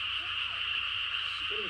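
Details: Frogs chorusing late at night in the countryside: a dense, continuous high-pitched trilling wall of calls without breaks, with faint low murmurs near the end.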